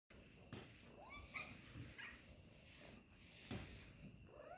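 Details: Kittens drawn to a light, wanting to touch it, give several short high mewing calls, some rising then falling, scattered across a few seconds over a steady background hum and occasional thumps.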